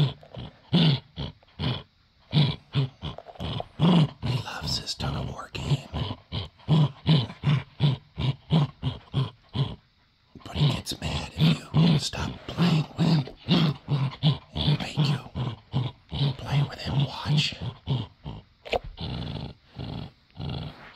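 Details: Pet male dachshund growling during a tug-of-war game indoors, unwilling to give up his toy; rough, low rumbling growls come in rapid bursts about two or three per second, steady throughout with a brief pause midway, and some human voice mixed in.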